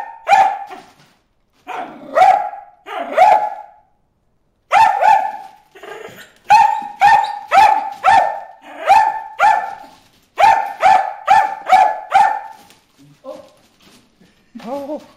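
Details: Loud repeated barking from Bruce the dog aimed at fish in a water hole, in bursts of two to four quick barks separated by short pauses, ending with a few softer yelps.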